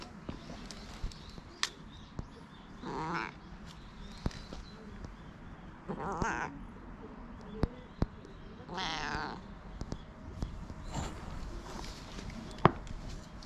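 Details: Hoarse-voiced cat at a cat temple in Japan, meowing while being petted, recorded on a GoPro: four raspy, drawn-out meows spaced about every two to three seconds over low rustling and handling noise, with sharp clicks between.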